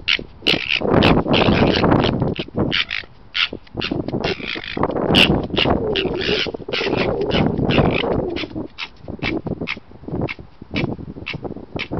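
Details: Red fox dog mating with a vixen after numerous rejections, recorded 27 January 2019; harsh, rapid chattering bursts follow one another almost continuously, rasping and broadband, with brief quieter gaps between flurries.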